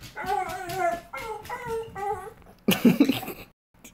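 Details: A pit bull dog indoors, hearing another dog outside, makes strange noises: a series of whimpering, whining cries in short repeated phrases, followed by a loud rough burst. A woman scolds her.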